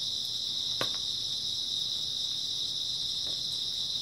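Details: Early autumn night chorus of grass insects: unbroken high-pitched trilling held at a steady level, with one soft tap near the start.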